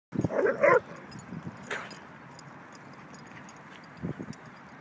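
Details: Two Rhodesian Ridgebacks playing chase one morning; a quick burst of high, harmonic yips and barks opens, followed by quieter scuffling and a brief low yelp near the end.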